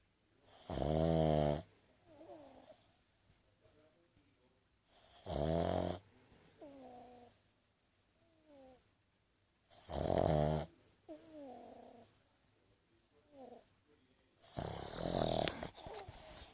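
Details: A Boston Terrier snores loudly with its eyes open, a harsh rattling snort every four to five seconds.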